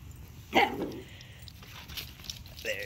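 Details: Indoor play between Sqweencla, an older Chihuahua adopted from Animal Services, and a puppy: one sharp, harmonic yip-bark near the start, a faint high squeak at the end, low room noise throughout.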